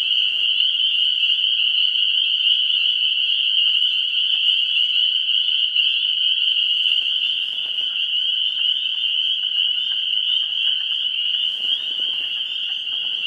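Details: Amphibians calling at a vernal pool before spring, 17 March 2016: a dense, steady high trill chorus of many frogs, a continuous ringing band with overtones, with fainter scattered calls beneath throughout.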